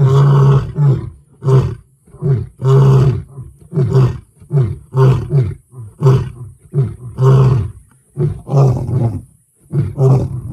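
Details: Lion giving a rapid series of deep, throaty roars and grunts, about a dozen short bursts in ten seconds, some longer and louder, each low and rumbling, the clip otherwise quiet.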